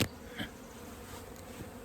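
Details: Honey bees from a 15-year-old hive being cut out of a house wall, described as mean and stinging. A steady low droning hum with layered harmonics, opening with a sharp knock and a faint clink midway.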